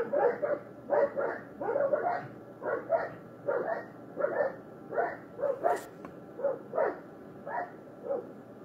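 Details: Fighting dogs give quieter, fairly even barks, roughly one or two per second, some doubled, over a steady low background hum, with one brief hiss near the middle.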